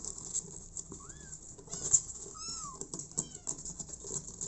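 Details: Abandoned kitten, later adopted by mother cat Smokey, giving two short high arched meows over a steady background of rustling and patter indoors.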